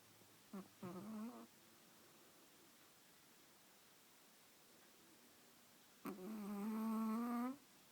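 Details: Chihuahua napping while being held, snoring: two nasal, voiced snores with a low buzzy tone and stacked overtones, a short one near the start and a longer drawn-out one later, quiet room between.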